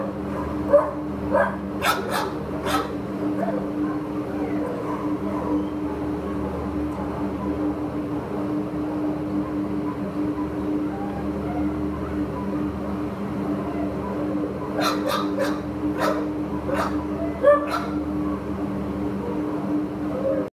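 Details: Short-coat Chihuahua awaiting adoption, recorded 22 July 2015 in the morning: clusters of sharp yapping barks near the start and again around fifteen to eighteen seconds, over a constant electrical hum with faint speech.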